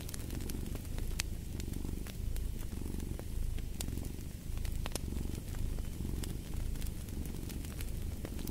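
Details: Domestic cat purring steadily beside a crackling fireplace, a low rumbling drone that swells and eases in cycles under a second long, with sharp pops and snaps of burning wood scattered throughout.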